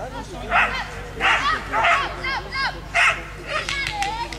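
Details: Belgian Shepherd named Créole at a Nationale d'Élevage agility event, giving sharp barks roughly every half second to second, five bursts in all, over steady crowd chatter and a low hum.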